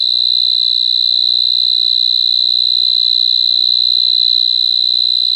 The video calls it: Cricket Chirping Sound🦗🦗🦗🦗